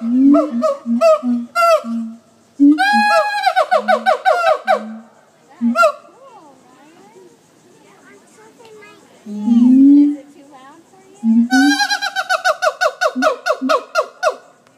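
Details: Monkeys at the Jacksonville zoo give loud, hooting howls in fast repeated bursts that rise and swell.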